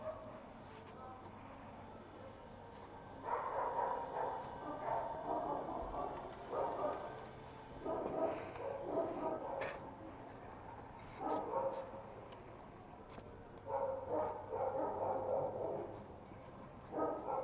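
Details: Pet Toy Pomeranian puppy playing at home in Kathmandu, Nepal, on 7 January 2018, household of Pomo and Pomy: bursts of short yapping barks in clusters, pauses between, with a person calling the dogs' names.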